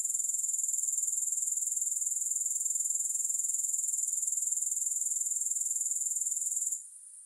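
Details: Grasshoppers, recorded with no music, give a steady, high-pitched, rapidly pulsing buzz with even beats that runs almost the whole way through, then drops away abruptly just before the end.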